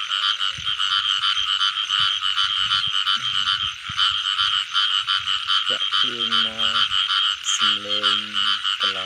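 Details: Rainy-season night with frogs and baby frogs being caught: continuous fast pulsed chorus of high trilling croaks, overlaid late by several short low nasal voiced calls.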